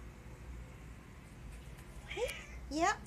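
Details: Pet cat indoors after coming in from the balcony, meowing to get his owner to come outside; two short rising meows near the end, the second louder and higher, over quiet room noise.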